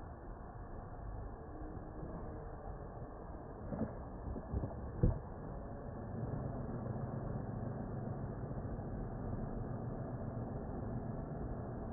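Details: A steady rumble of an idling engine fills the recording, with a few brief knocks near the middle and no animal voice.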